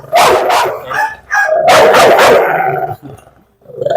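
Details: Aggressive rescued dog provoked to bite during a dog challenge, giving loud harsh barks in two bursts, the second longer and sustained, followed by a short pause and another bark starting.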